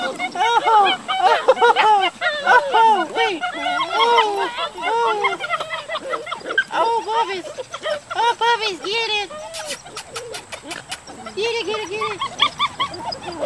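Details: Litter of seven Dutch Shepherd puppies, born July 18, 2013, playing together and tugging at a toy; dense overlapping yelps and squeaky arched whines come from several pups at once, mixed with human voices and laughter.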